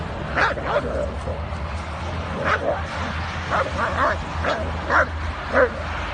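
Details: Kangal dogs in a fight and attack: short, sharp barks at irregular intervals rise over men talking, laughter and a low steady hum, with music briefly in the background.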